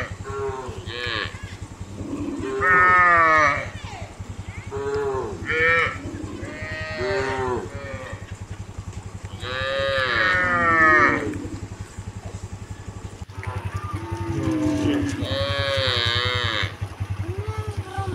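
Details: Cows being herded toward the fields, lowing in long harmonic moos, several overlapping and rising then falling, spaced a few seconds apart, over a steady low background rumble.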